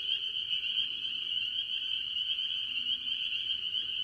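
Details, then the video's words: Early-season farm pond full of tree frogs, mostly spring peepers, their piercing high peeps blending into one constant shimmering drone across the whole stretch. "Relaxing Tree Frog Sounds - Spring Peepers"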